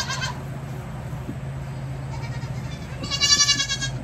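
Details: Baby goats during a hoof-trimming session: a short bleat opens, then a loud, wavering, harmonic-rich kid bleat near the end over a steady low hum.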